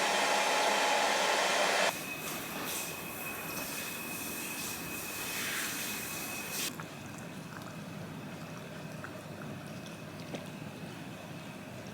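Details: Broadband hiss and rumble like a hair dryer or passing train, with a steady high tone and a sudden drop in level; no animal voice is heard.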